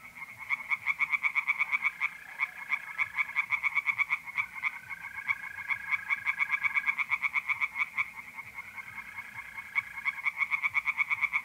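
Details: Pond chorus of tree frogs on a mid-April night in north-eastern Italy, rapid rhythmic croaking pulses in long bouts, while mole crickets keep up a continuous high trill in the background.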